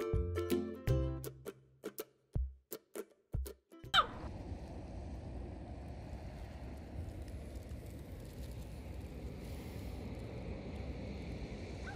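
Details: Short plucked music notes for about four seconds, then steady broadband outdoor noise with no clear animal call.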